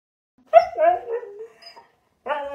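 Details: Pet dog in a playful fight with its owner, giving a drawn-out harmonic growl-whine that slides downward over about a second, followed by silence and a second short tonal growl.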